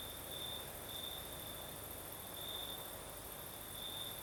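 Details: Nighttime cricket song in the south of Crimea, a piercing trill swelling in separate bursts about a second apart, set against a continuous breezy hiss.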